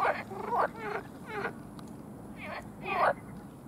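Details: Frog; advertisement call; males calling to attract females for mating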